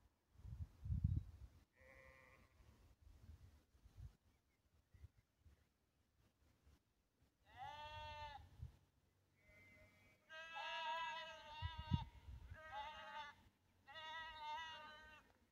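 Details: Lambs that had lost their mother, bleating for some time: short harmonic bleats from several animals after a quiet start with low rumbling thumps, calls growing louder and overlapping toward the end.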